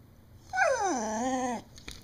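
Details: Pet beagle vocalizing as if trying to tell its owner something: one drawn-out whining howl of about a second, starting high, sliding down, then holding steady before cutting off, in a quiet indoor room.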